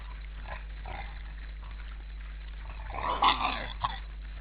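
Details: Wild boar on a busy Estonian forest feeding ground, 18 counted, at 16:53 on 12 December 2012, give a brief burst of harsh grunting and squealing over a steady low hum.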